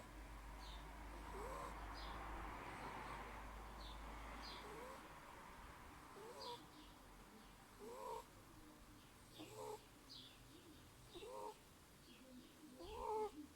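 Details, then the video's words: Kira, an 8-week-old Burmese kitten, snoring. The first half is muffled and noisy. Then short pitched breaths with a rising, voiced catch repeat roughly every one and a half seconds. "Котёнок Бурма Кира. 8 недель. Храпит."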